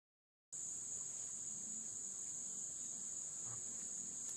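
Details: Insects calling between dusk and dawn on the Licking River at Morning View; a steady, high continuous buzzing drone without pause, with faint low background rumble.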